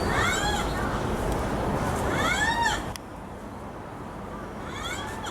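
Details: Captive black rhinoceros at Osaka's Tennoji Zoo giving drawn-out squeaks: high arched notes that rise then fall, three of them a couple of seconds apart, over crowd noise that drops away midway.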